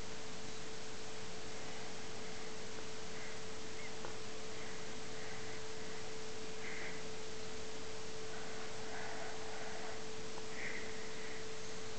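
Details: A steady electrical tone and a constant broad hiss fill the whole stretch, with only a few faint, soft blips above; no snoring or other animal sound stands out.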